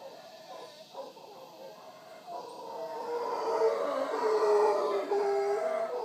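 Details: Morning visit by wild howler monkeys at Punta Uva, Costa Rica, beside the Manzanillo Wildlife Refuge; soft grunts build after two seconds into a sustained, swelling roar chorus with tonal moaning bands, loudest near the end.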